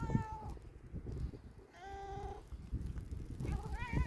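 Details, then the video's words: Black domestic cat that dislikes hail, meowing outdoors during a hailstorm: three drawn-out, level mews about a second apart, over the steady low rattle and drumming of falling hail. "Behemoth the black cat really doesn't like hail."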